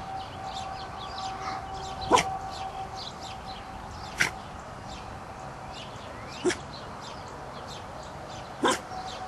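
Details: Woofing from Zip, a dog who seldom barked and instead woofed at arriving cars or the doorbell: four short, muffled single woofs about every two seconds, with bird chirps and a steady tonal hum behind.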